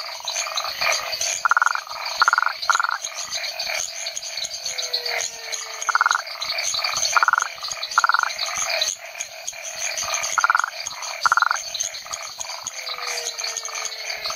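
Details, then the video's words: Toad Rhinella cf. paraguayensis from Hacienda San Sebastián, Chiquitania, Bolivia, giving brief rasping pulsed notes in loose groups of two or three, set against a thick background chorus of insects and other frogs. "Frogs of Bolivia: Rhinella cf. paraguayensis"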